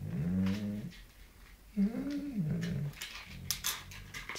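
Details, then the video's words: Angry Doberman indoors, annoyed after another dog stole its treats, making low, drawn-out grumbling growls that rise and fall in pitch, with faint background clicks. "ANGRY SCARY DOBERMAN"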